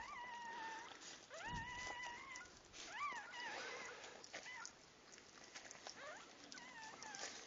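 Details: Puppies at birth give a run of high whining whimpers, some long and flat, others short rising-and-falling squeaks, close together over several seconds amid faint shuffling noise.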